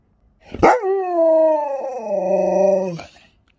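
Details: Sherpa, a pet Alaskan Malamute, answers back indoors with a drawn-out, tonal howling vocalization lasting about two and a half seconds. It opens with a sharp yelp, holds a steady, rich tone, then dips slightly lower before stopping abruptly.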